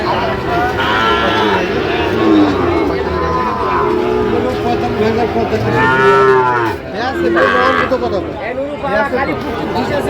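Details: Lowing from Sahiwal bull cattle at the Ambari market, Bangladesh, 18 August 2025, where a farmer from Barisal is buying; repeated moos of varying length, one loud sweeping call near the middle, with people talking throughout.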